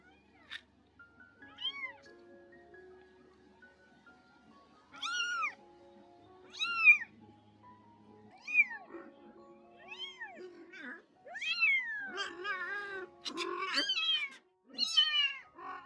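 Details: Domestic cats, a rescued former stray mother and her kittens, around her spay: repeated short rising-falling meows at irregular gaps, growing busier and overlapping near the end, backed by soft piano music.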